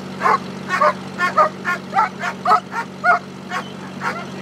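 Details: German Shepherd in Schutzhund bite work training in California, barking steadily at about two barks per second, each bark short and forceful, over a constant low hum.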